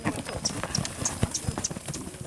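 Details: Horses being broken in by a Chilean huaso (horseman) in Chile: quick, fairly regular hoofbeats thud on the ground several times a second, with faint human voices in the background.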